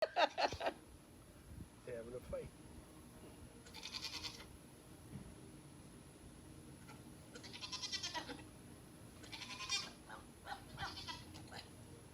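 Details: Two goats chasing and playing give short, wavering bleats amid scuffling and brief bursts of noise.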